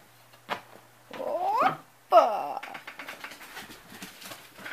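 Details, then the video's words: House cat growling over a Kleenex it is eating: rising and falling wailing growls, two strong bursts followed by a softer rumbling tail and scattered rustling sounds, indoors. "Growling over kleenex"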